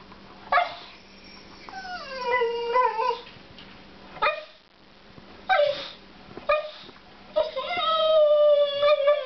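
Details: Vizsla asking another dog to play, giving sharp yips followed by long, falling-then-level whining whimpers with strong overtones, repeated several times; indoor room noise in the background.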